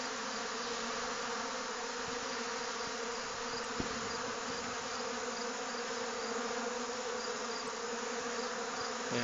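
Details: Honey bees buzz loudly as colonies rob a couple of other hives during a nectar dearth; a dense, steady hum with low droning tones runs throughout and never breaks, with only a faint click in the middle.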